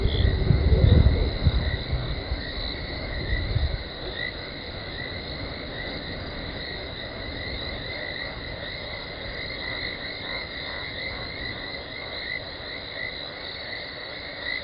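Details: Talamati lioness contact calling at night (00:21, 17 December 2020) before running in to Gowrie dam waterhole, Djuma Game Reserve, Sabi Sand Wildtuin, South Africa, on a live camera; deep rumbling grunts fill the first four seconds, then fade to a steady electrical hum.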